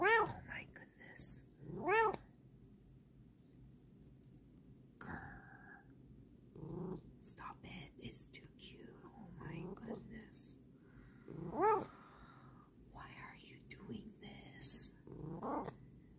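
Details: Indoor female cat letting out several separate meows across sixteen seconds, some strong and arched, others short, mixed with a person's soft talking and whispering and small handling noises.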